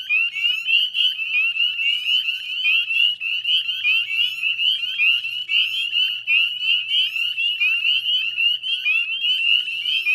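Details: Northern spring peepers calling in a dense chorus at dusk on 18 May 2020 beside the Chezzetcook salt marsh wetlands, West Chezzetcook, Nova Scotia, Canada; overlapping high, rising peeps blend into a continuous shrill band, with faint low rumble beneath.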